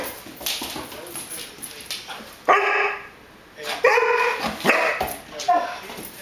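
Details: Rhodesian Ridgeback puppy and Border Collie at play, the puppy trying to coax the collie into playing: a few short, harmonic barks and yips in quick bursts about a second apart, with background murmur and faint music.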